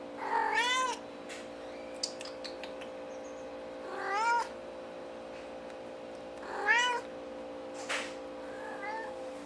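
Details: A white-faced domestic cat meows repeatedly indoors, about every two to three seconds, each call rising and then falling. Light tapping noises and a steady background hum can also be heard.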